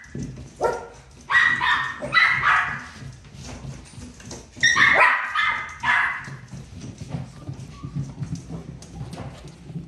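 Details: Barks of a miniature pinscher come in two loud volleys of quick, shrill yaps, near one to three seconds and again around five to six seconds, then fade into softer scattered sounds over a steady low hum.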